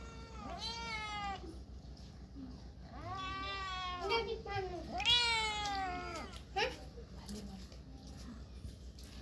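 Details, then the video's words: Cats and kittens meowing: three long, wavering, plaintive meows spaced about two seconds apart, the last one loudest and highest, followed by a short yelp, with low background hum. "Very Funny Cats and Kittens Meowing Sound Effects Part 3 | Cat Sound"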